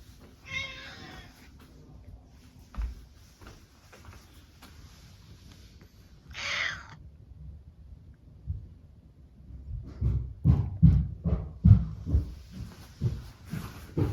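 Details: Brown tabby cat Mametarou, relaxing in its usual room, greets its owner on entering with affectionate, attention-seeking meows: a harmonic meow near the start, a second brighter, higher meow around six seconds, then soft thumps and rustling toward the end.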